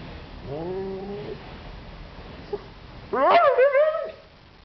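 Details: Husky Cyrus 'talking' as he asks for his sausage toy: a soft rising whine, a short pause with a small click, then a loud, wavering, yodel-like vocalisation with sharp pitch swoops before dying away.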